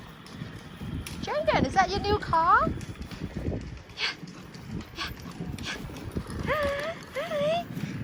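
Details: Golden Retriever puppy playing with his new toy; high whining yelps that rise and fall in short bursts near the start and again near the end, mixed with a person talking to him and handling noises.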